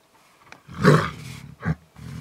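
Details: Two young wild tigers in South Africa settling hierarchy at a kill: one loud, deep, rasping roar-snarl lasting about a second, followed by a shorter growl and a low rumble.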